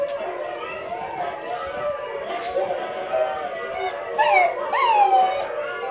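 Several Siberian Huskies howl together in long, wavering tones that overlap and slide up and down.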